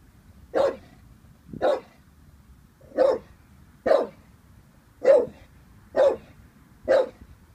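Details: Vinnie, an 18-month-old Staffordshire Bull Terrier wary of a balloon, gives seven loud, evenly spaced barks, roughly one per second, over a quiet room background.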